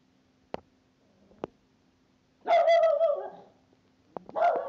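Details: A ten-week-old Cavalier King Charles Spaniel puppy meeting another Cavalier King Charles Spaniel at home: two sharp clicks or taps, then a drawn-out, wavering high whine, and a shorter whining yelp at the end.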